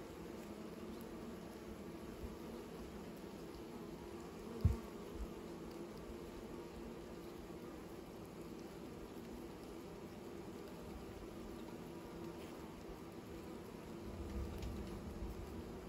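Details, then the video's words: Low, unbroken hum of bees at work on new nests, fairly faint, with one sharp knock near the middle and a slight swell of buzzing toward the end. "Bees are making new nests"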